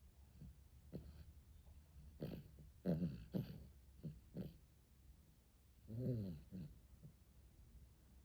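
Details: Arjuk the dog sleeps on its back in the heat, breathing in irregular snoring snorts: several short nasal rasps clustered together, a pause, then one longer, louder gurgling snore and a final soft snort.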